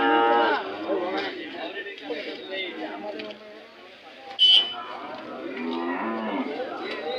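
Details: Hallikar cattle at the weekly Monday cattle fair market at KG Temple, Gubbi taluk, Tumkur district, India; a deep, harmonic moo opens the recording, then traders' speech and crowd chatter, with a brief sharp clatter midway.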